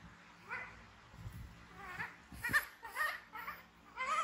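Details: Frightened baby monkey BEAN, an orphan picked up from the jungle by villagers, screaming as it runs to hug Poppy Brown while MOMO tries to care for it; about six short, high squealing cries with rising and falling sweeps over four seconds.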